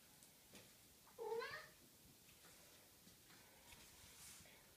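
A Maine Coon cat gives one short, rising meow in an otherwise quiet room.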